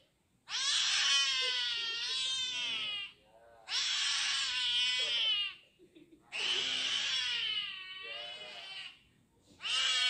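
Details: Injected kitten wailing in a small room, drawn-out strained meows roughly every three seconds, each cry harsh and rich in harmonics with a wavering pitch, short breaths between them.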